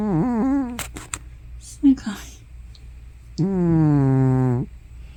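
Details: Elderly cat Hana, probably more than 15 years old, talks or snores in her sleep indoors. A short wavering moan is followed, after clicks and soft breathy sounds, by a longer, steady, droning groan lasting over a second.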